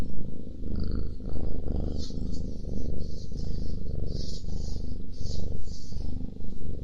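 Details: Close-miked domestic cat purring loudly while eating; dense low rumbling purr swelling in regular waves, with crisp higher chewing and crunching sounds repeating across the clip.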